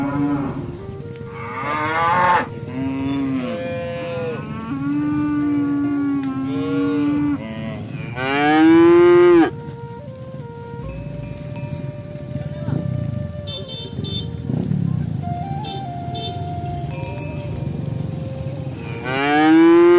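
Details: Herded cattle heading for the livestock barn, a cow calling its companions to the pen: a series of harmonic-rich moos, some flat and sustained, one loud rising bellow around eight seconds, another at the end, with faint bells behind.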